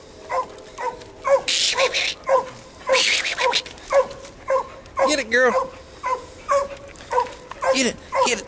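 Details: English coonhound pup during a training session with a raccoon hung in a tree, an older dog that treed the raccoon barking nearby; short hoarse barks repeat about every half second, with a man calling encouragement throughout.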